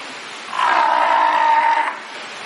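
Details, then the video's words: A fur seal swimming in a pool gives a single drawn-out, steady bleating call lasting just over a second. "Kotiki hałasują :) / Fur seals making some noise :)"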